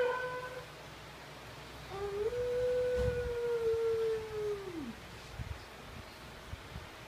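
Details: A Siberian Husky sharing a home with a Kintamani dog, answering a television: a short tone fades, then a single sustained howl rises, holds level for nearly three seconds and drops away, with soft rustles afterwards.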